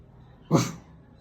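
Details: A female Rottweiler makes one of her many weird sounds, a single brief, deep, gruff vocal burst of about a quarter second that starts abruptly and fades quickly in a quiet room.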